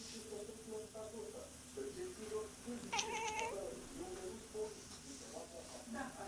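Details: Female cat seemingly conversing with an imaginary friend, making soft repeated chirrups and murmurs, then a clear rising meow around the middle, followed by more quiet trilling sounds against low background hiss.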